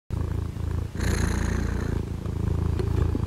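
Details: Cat purring on a winter morning in Henan, China, after waking and playing; steady low rumbling purr pulsing rapidly throughout, with a brief pause near the start.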